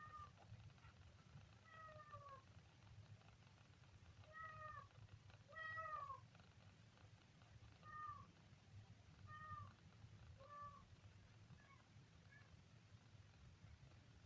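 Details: Kitten on its third day giving a series of about nine high, thin mews, each a short downward-bending cry, repeated every one to two seconds over a steady low rumble.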